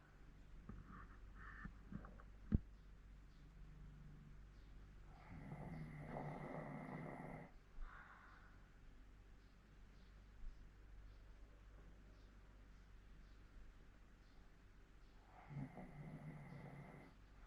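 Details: Sleeping 14-year-old Hokkaido dog in Sapporo snoring indoors: two low, rasping snore bursts about ten seconds apart, each lasting roughly two seconds, with quiet room hum and soft breathing between them.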